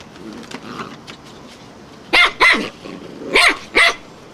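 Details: A wire-haired fox terrier barks at a flowerpot, giving two pairs of sharp, clipped barks after about two seconds of near quiet.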